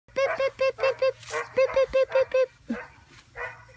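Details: Male Vizsla puppy giving a quick run of high, tonal yelping whines, about eight sharp cries in two and a half seconds, then a few softer, breathier whimpers trailing off.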